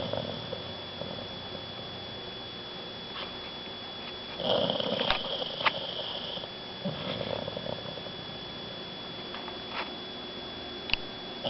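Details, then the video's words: Sedated Shar Pei Lynzie dozing in her water bowl at home after emergency stomach surgery; a loud rasping snore burst partway through, then quieter snuffling breaths, with occasional taps and a constant high hum. "Funny Snoring Shar Pei -- Asleep in her Water Bowl!"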